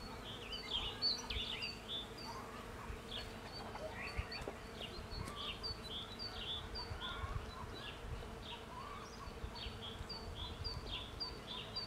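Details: A continuous buzzing drone rises from bees collecting pollen in a cherry tree. Busy chirping and twittering birds fill the background, and soft low rustling runs throughout.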